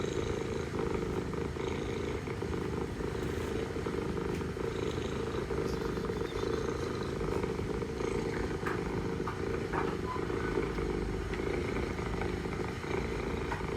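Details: Istanbul mother cat purring to her kittens, a deep steady rumble held throughout, with a few brief faint clicks and taps above it.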